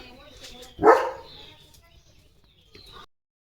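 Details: Leo, a pet German Shepherd, on a morning outing: one loud, sharp bark rises out of soft talk, then quiet follows with a faint voice near the end.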